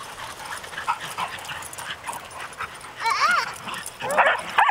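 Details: Four dogs playing together, recorded 4 April 2010: soft scuffling, then sharp high yelping barks and whiny, arching yips in quick bursts toward the end.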